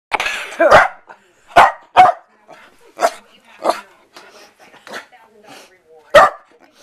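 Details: Pet Corgi indoors reacting to its owner sneezing, giving short sharp barks at irregular intervals, mixed with a woman talking and laughing at the start.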